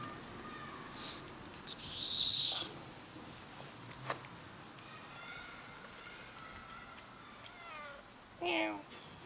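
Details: Ginger cat outdoors after eating, near another cat with a puffed-up tail; a harsh broadband burst early on, faint thin tonal lines mid-clip, then a short descending harmonic meow near the end over quiet background.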